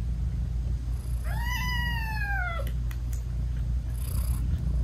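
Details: British Shorthair mother cat talking sweetly to her newborn kittens while nursing: one drawn-out tonal meow rising then gently falling, over her continuous low purr, followed by a few soft clicks.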